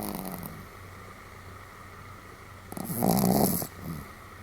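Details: Pomeranian named Sam snoring fairly loudly, recorded 31 July 2015: a soft rasping breath early on, then one louder noisy snore around the third second and a fainter one after, over a steady low indoor hum.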